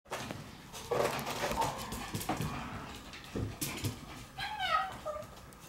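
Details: Shiba Inu puppies in a puppy room on March 17, giving short whimpering cries at about one second, scattered squeaks and thumps, then a run of rising high whines near the end.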